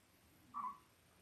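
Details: Newborn Labrador Retriever puppy, five days old, one of eight in Belle's litter born October 15, 2023. A single short, high squeak, a quick mewing note in a quiet room with a low background hum.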